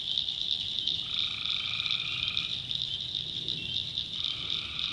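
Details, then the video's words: In a North Carolina backwoods swamp at night, tree frogs keep up a pulsing high chorus while one long buzzy croak stretches over a second and a half, followed by another starting near the end. "Relaxing Swamp Sounds at Night - Frog Heaven - Frogs, Crickets, Forest Nature Sounds"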